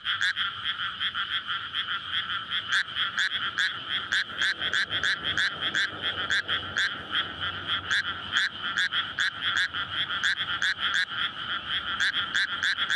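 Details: Courting frogs fill a water-flooded rice paddy on a May night in a residential area; a thick chorus of rapid, overlapping croaking pulses runs continuously, with a faint low rumble beneath.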